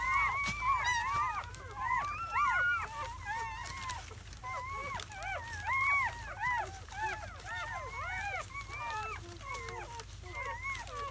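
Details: German Shepherd litter of seven newborns, four male and three female, recorded in first hours after birth in May 2017; continuous overlapping whines and short arched squeals from multiple puppies, steady chorus throughout.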